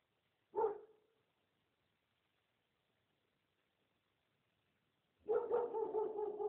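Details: Street dogs barking: a single sharp bark, a pause of several seconds, then a longer harsh burst of rapid overlapping barks near the end.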